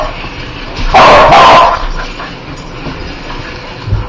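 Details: Dog that hates spiders barking: two loud, harsh, clipped barks close together near the one-second mark, then quieter background rustling.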